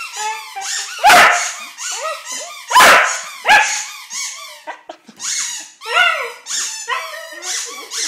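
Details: A young dog howls in reply to a squeaky ball, giving bending, quavering yowls and short yips. Two loud toy squeaks come early, then a brief pause before the howling resumes in rapid waves.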